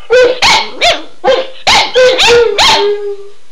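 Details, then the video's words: Two dogs, Shelby and Shiloh, excited by their owner saying "Run Guy run", give a quick series of about seven short, bouncy yips with howl-like tones, ending in a brief falling wail. "Howling Dogs II"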